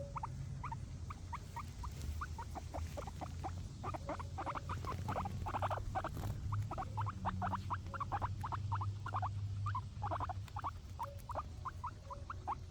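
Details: Grass being eaten by pet guinea pigs: a long run of brisk, irregular crunching clicks, sometimes dense and sometimes sparse, over a steady low hum with a brief low tone near the middle.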